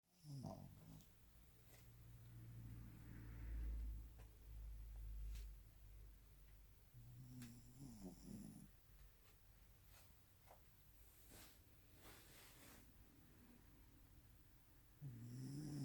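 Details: Shih Tzu snoring indoors, soft low rumbling breaths rising and fading in slow irregular cycles, with faint clicks and rustles in a quiet room.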